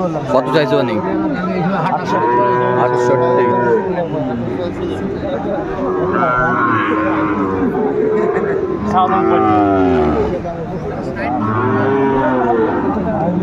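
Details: Sahiwal breed bulls for sale at a busy market in Aftabganj, Dinajpur, Bangladesh, late January 2025. Repeated loud, rich lowing moos with curved, wavering pitch, overlapping one another, amid people talking and music.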